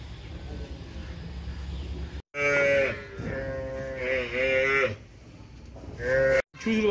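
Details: Among 43 buffaloes rescued from smugglers in Fulbari, a water buffalo utters two drawn-out, wavering moans, then a short third call, over a low rumbling background.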